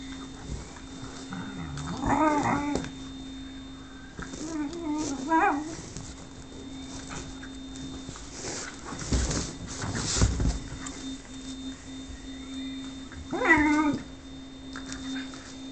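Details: Lux the whippet pleading for Sophia's affection while she plays hard to get: three separate bursts of wavering, nasal whining spaced several seconds apart, with a low steady hum and faint thumps between.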